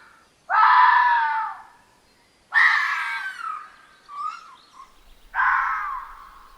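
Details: A red fox vixen (female) at night gives three harsh, drawn-out, human-like screams, each about a second long and spaced two to three seconds apart, with a brief softer yelp between the last two.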